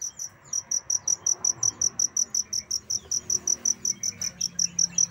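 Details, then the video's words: Cricket kept as a tutor sound for songbirds, chirping in bright, high pulses repeated about five times per second in a steady train, with faint bird twitters underneath. "Suara Jangkrik untuk Masteran Burung"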